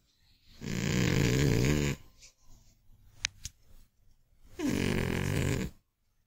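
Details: An old, chubby Scottish Fold cat snores loudly while sleeping, each long rasping breath rumbling low and steady.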